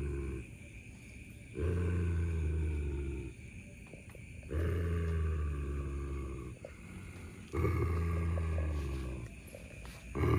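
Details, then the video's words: German Shepherd dogs, Don guarding a buffalo horn from Shadow; deep drawn-out snarling growls about three seconds long, rising and falling in three main bouts over a constant background hiss. "German Shepherd Dogs fighting over a BUFFALO HORN!!"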